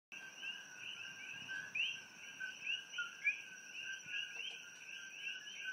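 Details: Coqui frogs calling in pitch-black night around a room in Hilo, Hawaii. Many frogs give rapid, overlapping high chirps that rise sharply at the end, over a steady high-pitched drone from other night creatures.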